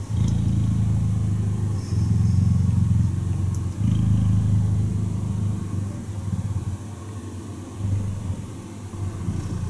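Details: A cuddling cheetah gives a continuous low, vibrating purr, steady and rhythmic, swelling and easing with each breath over about ten seconds.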